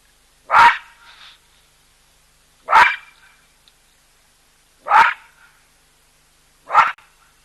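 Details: Baboons calling loudly at a drinking spot visited by a nervous cheetah and an elephant: four abrupt, rasping barks roughly every two seconds against a quiet background.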